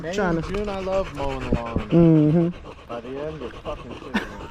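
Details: Staffordshire Bull Terrier among a group of male dogs on a long evening at the park, chattering together: wavering, moaning whines in a low voice, rising and falling in short phrases, with a sharp louder yelp near the end.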